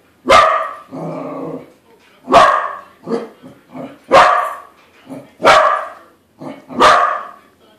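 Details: Corgi meeting a corgi balloon, mixing sharp barks with a low rumbling growl and short grumbles; about six loud barks at uneven intervals with quieter yips between.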